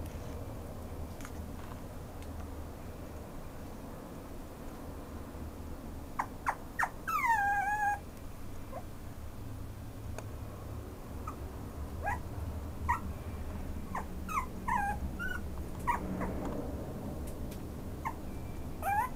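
A small Maltese-Chihuahua mix dog gives high, thin whines that slide downward, over a low indoor hum.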